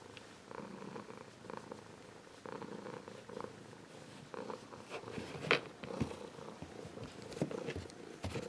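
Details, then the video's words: Adult Ragdoll cat giving a warm purr: a rhythmic rumble swelling and easing about once a second. A few sharp clicks and taps sound in the second half. "Ragdoll Cat Purring"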